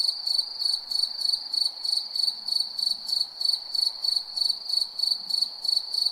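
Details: Night-time cricket chirping in a rapid, even rhythm of roughly three pulses a second, shrill and high over a constant ringing tone, with quiet background hiss.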